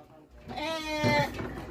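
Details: Texel cross sheep kept as breeding stock in Nganjuk, Indonesia, giving one short wavering, nasal bleat that rises and then falls away, with background music.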